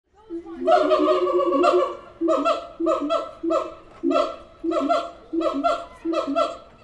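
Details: Siamang apes calling at the Tulsa Zoo: a loud, harmonic rising cry opens, then a run of short, sharp, barking hoots repeats roughly every half second in a steady rhythm inside a reverberant space.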